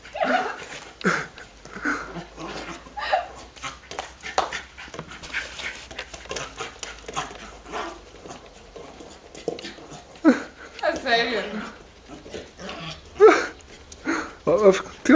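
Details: Excited pet dog playing wildly with a beach ball, letting out repeated short whimpers, yips and gruff bursts in quick irregular succession, with scuffling noises and a human voice at times.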